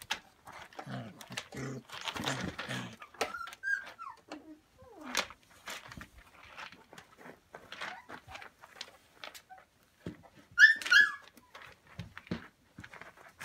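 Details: Samoyed puppies from a Vixen x Kooza litter at Snowstar Samoyeds, Prince Edward Island, Canada, playing with a pool noodle on 28 December 2015. Scattered short whines and yips over thumps and scuffling indoors, then a sharp, loud high yelp near the end.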